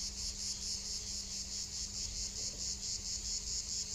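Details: Cicadas in the Landes, France, on a warm day's walk; a loud, piercing high buzz that pulses rapidly and evenly, about 136 throbs per minute, with no other sounds competing.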